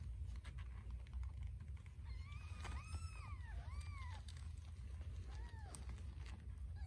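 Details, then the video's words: Scottish Fold kittens jostling over a nipple while nursing; a few short arched mews in the middle, spaced about a second apart, fairly soft against a steady low rumble and clicking. "FIGHT for the Nipple ESCALATED Tortie KITTEN Stands her Ground"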